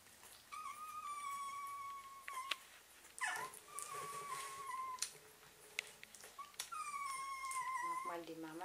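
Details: Several German Pinscher puppies, whose eyes have just opened, whimper indoors while nursing from their mother. They give high, thin whines that slide downward, in repeated bursts, with a woman speaking softly in German.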